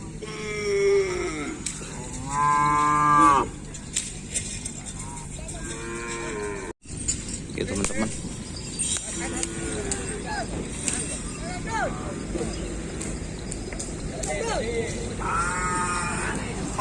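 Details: Cattle at a Kerapan Sapi bull race training session at Asemanis field, 6 November 2022, before an anniversary race: loud harmonic mooing bellows around one and three seconds, another near the end, over steady crowd and engine noise.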